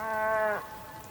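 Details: A single bull calls on a wet day in Tierra del Fuego's Patagonian plain, Argentina. It is a brief, steady, harmonic moo that stops abruptly after half a second.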